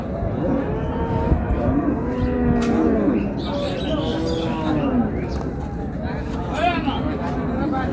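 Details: Improved-breed dairy cows and calves at Raniganj market, Dinajpur, 2/8/26: low drawn-out moos, one around two to three seconds and another near five seconds, over steady crowd chatter and market bustle.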